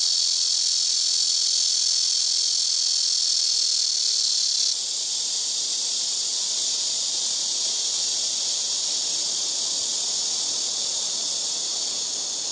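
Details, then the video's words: Large black cicadas (말매미) in trees beside a house rooftop fill the air with a loud, continuous, high-pitched buzzing drone. "시끄러운 매미우는소리"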